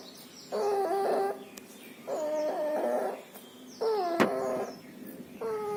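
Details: Distemper and pneumonia in a young puppy: three loud, wheezing breaths with a whistly, nasal tone, spaced about one and a half seconds apart, plus a sharp click near the end.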